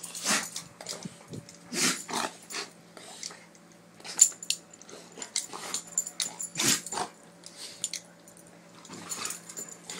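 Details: Doberman play fighting, with rough, breathy growls and snarls in irregular noisy bursts, several loud outbursts spread across ten seconds, separated by quieter scuffling, over a faint steady hum.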